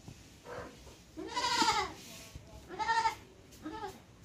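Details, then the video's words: A goat gives three bleats: a soft short one, then a long wavering cry, then a rough call ending in a briefer bleat, over low steady background hiss. "Goat wonderful sound"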